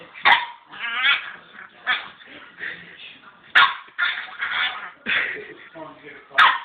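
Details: A 3-month-old male purebred English Staffordshire Bull Terrier puppy, rolling around, makes odd vocal noises: throaty grumbles, whines and sharp yips in irregular bursts, with a person's voice briefly in the background.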